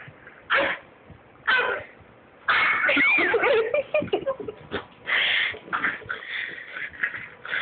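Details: A Boston Terrier attacking a hand and the camera for a treat snorts and grumbles in short raspy bursts, then gives a longer string of wheezy play growls.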